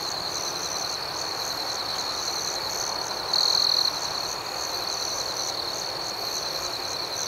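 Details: High, even ringing of a night cricket chorus with quick rhythmic pulsing. A single closer cricket sounds louder for roughly half a second just after the 3-second point.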